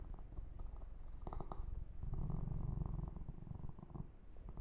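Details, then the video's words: Yumak, a kitten, purrs while being massaged and groomed, a steady low pulsing rumble with soft brushing and smacking noises over it. "Kitten Massage - Perfect Sleep Helper Ear to Ear Purring"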